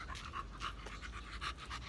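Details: An American Bully pants during a gym workout, fast airy breaths repeating about three times a second over a low background rumble.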